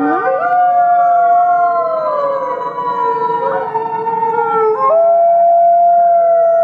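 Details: Gray wolf pack chorus at the Wolf Conservation Center, South Salem, New York: a howl sweeping upward at the start, then several layered voices gliding down together before one clear steady tone returns.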